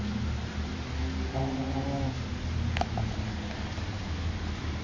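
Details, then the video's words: Shih Tzu snoring indoors: low, rumbling, droning breaths that swell and fade over a few seconds, with a faint, higher, raspy rattle on one breath and a brief click. "Shih tzu snoring"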